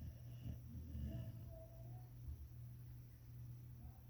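An English springer spaniel snores softly in its sleep, a low rumbling breath against a steady indoor hum.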